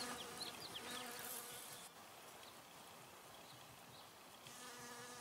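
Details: Honey bee gathering nectar at flowers: a low droning hum, strongest at the start and returning near the end, with a few high bird chirps early on.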